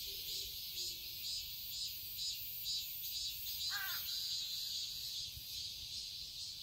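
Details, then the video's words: Garden cicadas in Seoul, Korea, on a summer day make a bright, buzzing wall of sound, throbbing in regular beats about twice a second. A short, faint, rising squeak comes near the end. "Cicadas chirping sounds"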